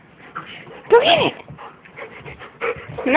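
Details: Pet dog Walle playing with a glove alongside another dog, Moose: a short, high, arching whine near the one-second mark, then a second rising whine at the close, over steady chatter from people nearby.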